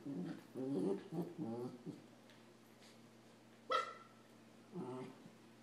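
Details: Samoyed named Adam and a Rat Terrier, both puppies, play fighting indoors; short harmonic growls and whines in a rapid burst, a pause, then a sharp yelp-like bark and one more low grumble, over a steady electrical hum.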